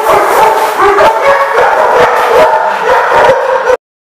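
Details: Dogs barking at a kennel lot, dated January 30, 2015: dense overlapping yaps and barks in a continuous loud chorus, some howl-like tones, cutting off abruptly near the end.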